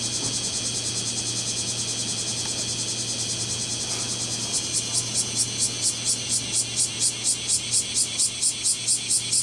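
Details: Male kumazemi cicada courtship song amid a summer chorus in Fukuoka City, Fukuoka Prefecture, Japan, 11 July 2022; a steady high buzzing hum, then from midway distinct loud pulsing bursts repeated in a regular beat, with a low background hum.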